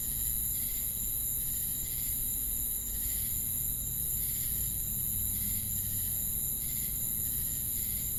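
Crickets chirp in soft pulses over a steady high insect drone and a low rumble.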